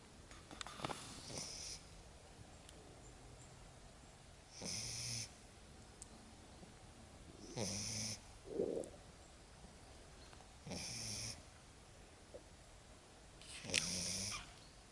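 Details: Lagotto Romagnolo puppy Lexa asleep on her first forest walk, snoring in soft breathy rasps with hissy upper edges, about six snores spaced roughly three seconds apart over a quiet background.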